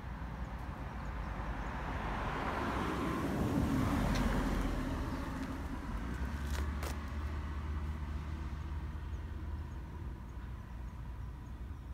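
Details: A passing vehicle's low rumble swells and fades over steady background traffic noise. No animal voice stands out.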